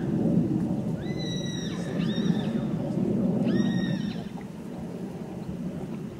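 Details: Colt foal sired by Zirocco Blue, with Clarimo and Cesano II in its pedigree: two high, harmonic whinnies near the start and middle, each a short level-then-falling cry, over a steady low rumble of background noise.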